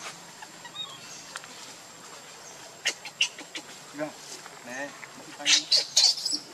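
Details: Hungry baby monkey crying and begging for its mother's milk: a few wavering, rising-then-falling tonal wails with harmonics in mid-clip, then several loud harsh bursts near the end, with faint chirps and background voices.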